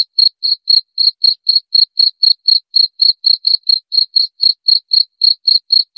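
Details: A cricket repeats short, bright, high chirps at roughly four per second throughout, steady and unaccompanied.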